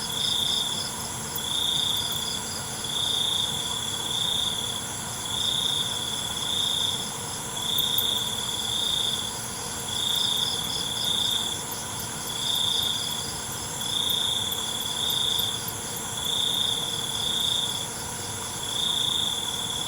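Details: Crickets calling at night in a dense insect chorus: a steady high ringing tone with brighter pulsed bursts recurring roughly every second and a half, over a continuous shimmering background of other insect trills.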